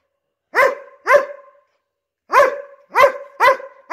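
A Border Collie gives sharp, mid-pitched barks, two together, a pause, then four more in quick succession.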